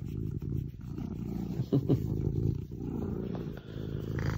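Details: Female Maine Coon purring while being cuddled at a house in Normandy where five Maine Coons live; low, rumbling, continuous purr with a brief brighter sound in the middle.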